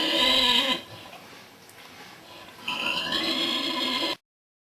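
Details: Snoring from a sleeping Vietnamese pig: a whistling, wheezy breath, a quiet pause of about two seconds, then a second sustained snore, starting with a high tone, that ends abruptly.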